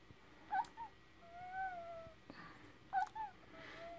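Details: Newborn Dogo Argentino puppy about ten minutes old, from a breeder in Pineville, Missouri. It gives faint, thin, high squeaks and short wavering whines in small clusters about two and a half seconds apart, with soft background noise.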